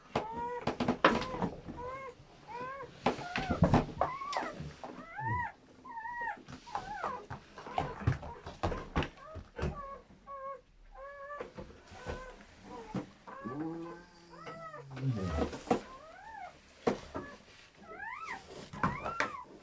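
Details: Newborn German Shepherd puppies during their mother's labour and delivery of a seven-puppy litter, making rapid, overlapping, high whining squeals that rise and fall, heard indoors in a small room with some handling noise.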